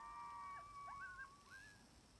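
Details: Timber wolves, sixteen in a pack on a hill in Wrangell-St Elias National Park, southeastern Alaska, September 2018, about 700 yards away, recorded on a phone through a spotting scope. Several overlapping sustained howls that waver, dip and rise over steady background hiss.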